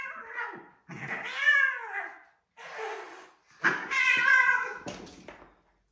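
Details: Male domestic cats fighting indoors, one terrorizing another, recorded on a phone: loud, drawn-out wavering yowls with rough, growly edges, four harsh bursts rising and falling within six seconds.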